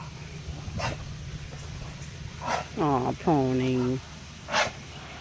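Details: Malamute and pitbull playing together in a backyard with a pool: after a person speaks, a dog gives two drawn-out, wavering, moaning woo-like calls about a second each, with brief splashy noises around them.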